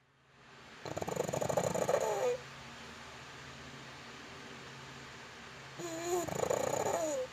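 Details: Yitong, a pet pug dog, asleep and snoring: two long rasping snores about five seconds apart, each with a thin whistling tone that rises at the end of the breath. Quiet room hum between the breaths.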